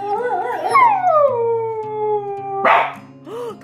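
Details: First howl of a year-and-a-half-old Siberian Husky, 28 August 2017: a few wavering tones, then a drawn-out howl gliding steadily downward for nearly two seconds, a noisy burst and a short arched whine, over a faint steady low hum.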